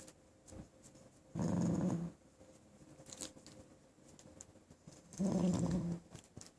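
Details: Puppy called Mommaem (Dirty), filmed indoors on 9 November 2012, gives two low, rough growls of under a second each, about four seconds apart, in a quiet small room with faint handling clicks.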